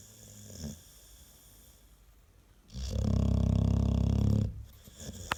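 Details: Deep, rattling snore from a sleeping American Staffordshire Terrier, said to be louder than a washing machine on spin; a soft breath first, then a long, loud, buzzing inhale lasting nearly two seconds.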